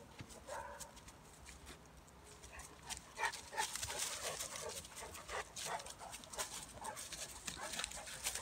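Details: A Bulldog/Staffy cross and a Cane Corso wrestle in play, two dogs together: dense scuffling clicks and thumps, with a few brief whine-like tones early on and irregular bursts of effort throughout.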